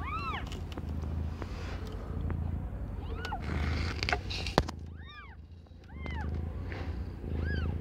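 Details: Aimee, a young domestic cat not yet a year old, delivering five kittens; brief high arched mews open the clip, then return as a quick cluster of four past the fifth second, with a sharp click midway and low background hum.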